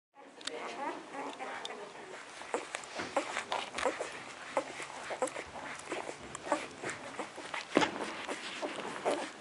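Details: Four-day-old puppies nursing, with soft wet suckling clicks, tiny squeaks and whimpers in an irregular stream.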